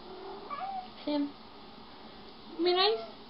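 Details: Pet cats acting jealous of each other indoors; a few short tonal meows, one gliding upward, then a louder harmonic-rich meow near the end, with faint human voices in the room.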